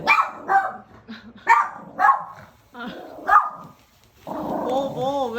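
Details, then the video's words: Indoor pet dog barking repeatedly at a returning friend of its owner, craving attention; a run of short sharp barks, then a person speaking in a rising, sing-song voice. "엄청 짖음 주의"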